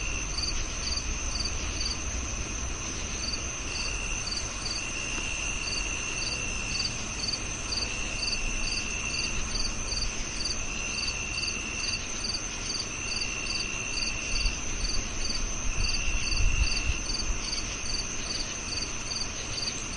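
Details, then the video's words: Cricket calling with rapid repeated chirps, around two per second, alongside an on-and-off high trill, low rumbling background noise and a brief louder thump near the end. "Sound of Cricket"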